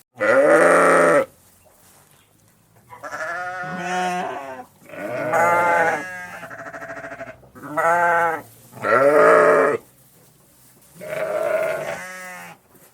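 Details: Sheep in a flock call in turn, giving about seven drawn-out, tremulous bleats, some rising then falling, several overlapping voices of higher and lower pitch across the recording.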